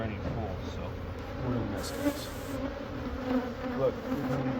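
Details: A colony of honey bees being removed from inside a church building's wall in Monrovia for relocation to a beekeeper. A constant deep hum fills the clip, with brief speech and handling noises on top.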